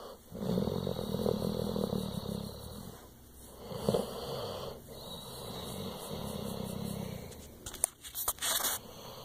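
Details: A pet pit bull purring: a low, rumbling, pulsed vibration that swells and fades in long breathy stretches. Sharp scraping and clicking noises come near the end.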